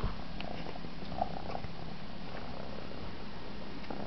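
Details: An Egyptian Mau purrs while enjoying sucking its own paw: steady, low, even purring throughout with a faint sucking click now and then.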